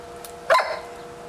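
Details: Single short bark from a Doberman named Bonita while she plays with a bumblebee indoors; one brief sharp note sliding downward, over a steady low hum.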